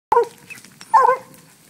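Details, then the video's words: Black and tan coonhound named Fog treeing a raccoon released from a cage: two short harmonic barks with a pause between, the second slightly longer and doubled. "Coonhound treeing on coon"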